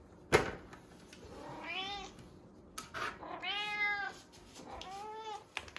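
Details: Female domestic cat calling at mealtime, three drawn-out meows with bending pitch spaced across a few seconds, preceded by a sharp clatter and small handling noises indoors.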